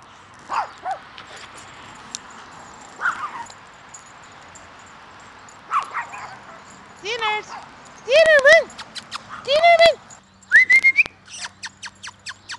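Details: Pekingese puppies playing in a front yard: short, high yelping barks with arched, bending tones, bunched in quick bursts over the last few seconds, after quieter scattered yips and a person's voice talking earlier.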